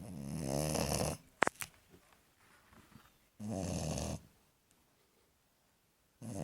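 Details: American Staffordshire Terrier puppy asleep and snoring: loud, raspy, rumbling breaths lasting about a second each, every few seconds, with a faint click and near silence between them.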